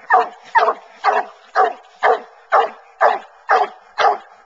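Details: While coon hunting, Bluetick Coonhounds run a track through corn and then tree in the woods; a hound bays in short, loud, even barks, about two every second.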